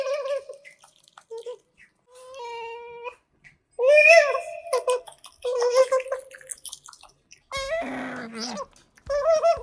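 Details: Eating pet otters Kotaro and Hana in a small room, miked up close: short nasal chirps and bent squeaks scattered between wet chewing and smacking sounds, with one harsher crackling squeal near the end.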